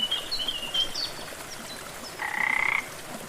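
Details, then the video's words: Frog in a lush jungle setting beside a gentle rainforest waterfall: one short, rapidly pulsed rattling croak lasting about half a second near the end, after a few thin high chirps, over a steady soft hiss of rushing water. "Waterfall & frog sounds"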